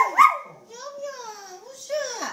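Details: Small pet Poodle being teased in play makes a sharp yip followed by a drawn-out, wavering, howl-like whine that dips and rises again, clear and continuous for about two seconds.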